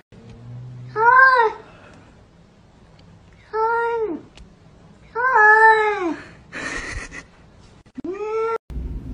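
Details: Domestic cat meowing four times, each a harmonic, arched wail rising then falling, spaced about two seconds apart, with a brief noisy burst and a sharp click between the last calls.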